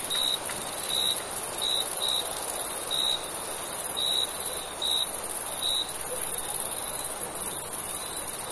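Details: Crickets at night in summer, a steady train of short, bright chirps repeating roughly once per second with uneven gaps, laid over a constant shrill, very high-pitched insect hiss that never stops.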